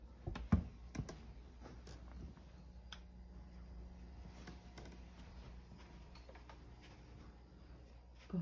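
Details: Soft taps and clicks in a quiet small room over a low steady hum, with no animal call.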